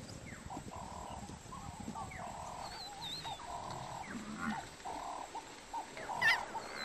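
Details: African wild dogs hunting a buffalo calf give short, repeated nasal calls with thin, high chirps and whistles mixed in.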